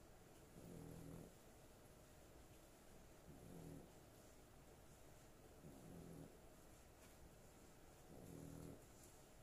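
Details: A female dog asleep, snoring four times at even intervals of about two and a half seconds; each snore is a low, rattling, harmonic rumble with quiet hissing breath in between.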